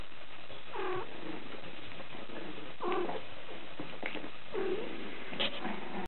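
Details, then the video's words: Cavalier King Charles Spaniel puppy, a 43-day-old tricolour male from Hyogo, Japan, gives about four short nasal whines spaced roughly every one to two seconds, each bending down in pitch, over a steady background hiss. "キャバリアの子犬 3月9日(生後43日)"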